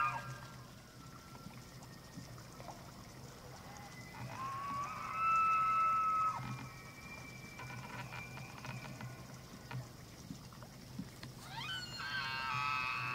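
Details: Rutting elk at Slippery Ann Elk Viewing Area on Montana's Charles M. Russell National Wildlife Refuge, evening of 24 September 2024: a long level whistled bugle holds for about two seconds, then a second sharply rising squealing call near the end.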